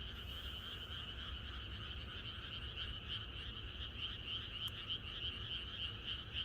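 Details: Chorus of many frogs in the countryside on the night before rain: a dense, continuous wall of rapid pulsed croaks blending into a steady high trill with a lower buzzy layer, no single caller standing out, low rumble beneath.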